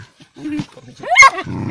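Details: Trained mink-hunting dog gives a loud, harmonic bark that rises and then falls about a second in, with shorter yelping sounds and men talking close by.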